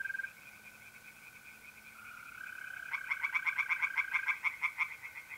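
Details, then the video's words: Tree frogs at a pond on a mid-April night in North-East Italy, where trilling mole crickets hold a steady buzzing tone before a frog breaks in with a quick run of about a dozen sharp, rhythmic rattling notes. "relaxing singing tree frogs in pond and trilling mole crickets by night"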